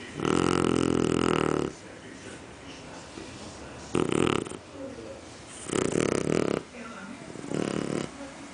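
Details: Mel, a female Shar Pei sleeping deeply indoors, snores like an adult: loud, rough, harmonic rumbles that last from half a second to nearly two seconds, with four bursts and quieter breathing between them.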